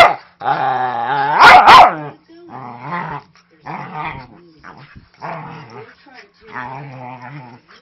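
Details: Playful rough housing between a 5-year-old Manchester Terrier mix and a 3-month-old husky lab puppy. A loud growl breaks into sharp barks, followed by a string of shorter rumbling growls about every second. The sound is fierce but the play is harmless.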